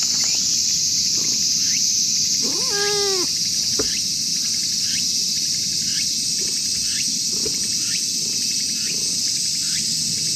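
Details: Angry, jealous tortoiseshell cat outdoors in a park while a tabby is petted: one short harmonic meow with a falling tail, over steady loud insect and cricket chirring and faint repeated ticks.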